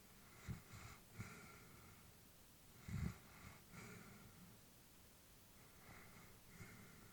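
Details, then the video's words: Elderly female Labrador Retriever sleeping indoors, breathing with soft snorting breaths: a few quick puffs near the start, a louder snort around three seconds, then quieter exhalations, over low room hiss. "Elderly dog sleeping with breathing sounds"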